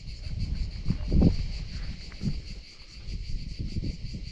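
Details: Crickets calling all around a quiet, deserted cattle farm in dense hill jungle, the same insects heard in Bangladesh during mango and jackfruit season; a steady, pulsing high trill runs throughout above heavy low rumble and handling noise.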